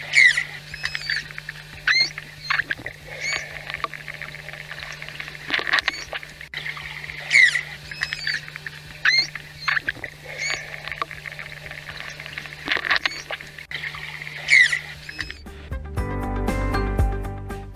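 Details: Sociable manatees communicating with one another: brief, high, harmonic squeaks or chirps repeated in small clusters over a steady low hum.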